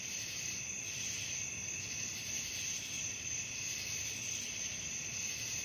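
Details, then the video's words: Crickets at night, presented as relaxing sleep sound: an unbroken, shrill, high trilling chorus of many insects at steady loudness, several pitched layers overlapping, faint low rumble beneath. "suara jangkrik malam penghantar tidur"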